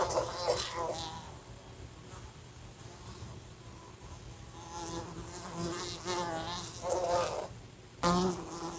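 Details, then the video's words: A fly droning around a lamp in a room, knocking against it: a quiet stretch, then a rising, wavering buzz in bursts, with a sharp tap near the end. "A Fly Buzzing Sounds"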